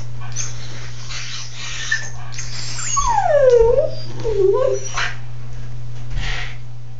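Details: A pet dog sitting in a tub whimpers: one long whine sliding down from high to mid pitch with a wavering tail, then a shorter wobbling whine. A steady low hum runs underneath.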